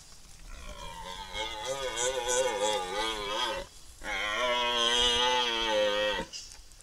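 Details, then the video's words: Red deer during the rutting season on a farm in Iwate Prefecture, Japan: two long, drawn-out harmonic bellows, the first about three seconds and wavering, the second steadier and slightly shorter. "アカシカ発情期 遠吠え"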